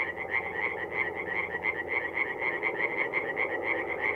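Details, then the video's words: Night chorus of tree frogs at a forest pond in North-East Italy in mid-April, a steady fast train of harsh pulsed croaks over a continuous low background hum. "relaxing forest pond by night with singing tree frogs"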